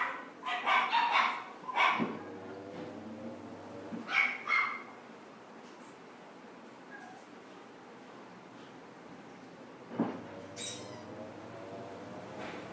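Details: Female red Chihuahua at a pet shop, born April 2017, letting out a quick burst of shrill yaps, a short pair a couple of seconds later, then a long quiet gap before one more high bark and a faint whine.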